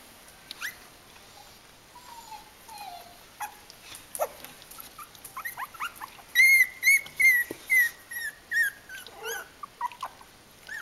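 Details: Kooikerhondje litter at three weeks old: scattered thin squeaks and clicks, then a run of clear high whining yelps repeated about every half second, tapering into softer whimpers.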